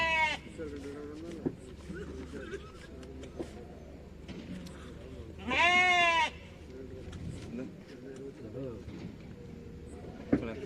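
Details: Goat at the Morppalayam Friday goat market: one loud, wavering, harmonic bleat lasting under a second midway, surrounded by men talking and bargaining in Tamil and market bustle.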